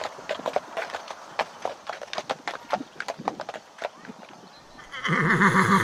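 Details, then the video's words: Horse with a run of irregular clip-clop hoof beats for about five seconds, then a loud wavering whinny breaking in at the end. "O SOM DO CAVALO RELINCHANDO"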